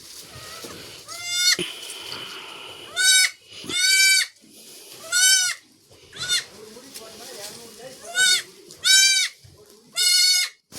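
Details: Goat kids on a farm, part of a litter of four born at once to one doe; loud, quavering bleats repeated at irregular intervals of roughly one to two seconds, with a man talking in between.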